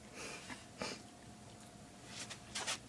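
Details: Holly Daye, a two-year-old female Chihuahua, sneezes on command, a trick she learned in under ten minutes. Indoors, a short breathy burst comes near the start and a sharp double sneeze near the end, over quiet room hum.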